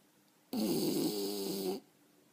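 An English Bulldog snores with a single loud, rasping, rattling breath.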